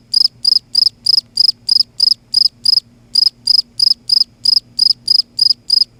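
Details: Cricket calling loudly at night in Kerala, western ghats region; bright, high, buzzy chirps in a steady pulsed series, roughly three per second with a brief pause near three seconds, over a faint low hum.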